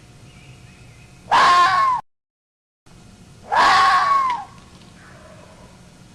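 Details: Two hoarse, drawn-out fox screams, about two seconds apart, each rough and wailing with a falling tail, separated by a brief silent gap.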